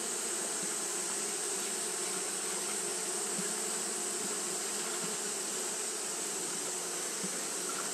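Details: A colony of Japanese honey bees fans continuously in hot weather, giving an even, thick buzzing hum with a few louder wingbeat flickers from passing bees over a steady hiss.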